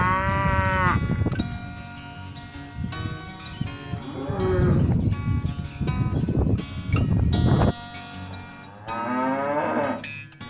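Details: Cows on a farm give a clear moo at the start and another near the end, with rumbling, shuffling low noises between them and acoustic guitar music underneath.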